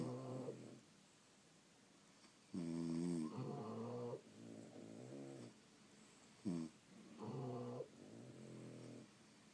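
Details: Deep snoring from sleeping French Bulldogs, with long grating, harmonic breaths and a brief snort, in a still indoor setting.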